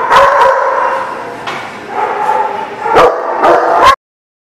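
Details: Dogs giving sharp, loud barks in quick clusters, mid-pitched and harsh, with gaps between bursts, ending abruptly in silence.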